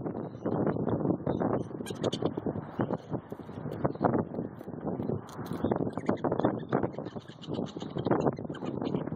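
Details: Several prairie dogs squabbling for peanuts, their scuffle heard as continuous rough, scratchy bursts crowding one after another with no pauses, and a few thin high squeaks on top.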